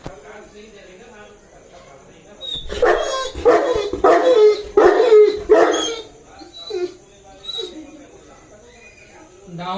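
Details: A 2.5-year-old male Saint Bernard eagerly waits for his owner to arrive, giving a run of strained, moaning whines and yips while a voice is faintly heard nearby.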